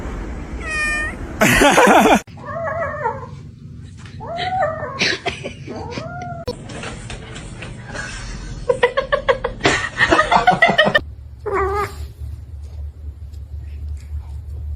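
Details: Domestic cats in a compilation of funny kittens, several harmonic meows rising and falling in arcs, some drawn out, others short and repeated, with a person's voice, sudden loud bursts of noise and abrupt cuts between scenes.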